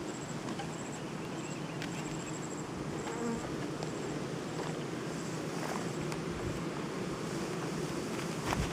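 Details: Many honey bees around a hive being worked for honey extraction, giving a continuous, even drone of countless wings with faint ticks and rustles throughout.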